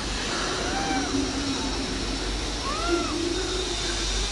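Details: A cat called billuuu gives two arched meows, the second higher and longer, over loud steady traffic-like rumble and background noise.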